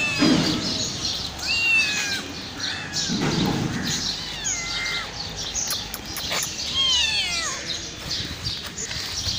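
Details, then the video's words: Homeless mother cat and her five kittens, hungry and crying loudly: thin, high meows that fall in pitch, in short bursts spaced a second or two apart. Soft rustling and a low bump are audible under them. "Billi Ki Awaaz Meow Meow | Cat Sound | Cat Voice Video"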